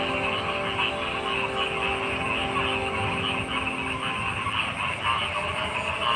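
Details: Frogs croaking in a dense, continuous chorus of overlapping pulsed calls, with steady tonal hum lines running underneath throughout.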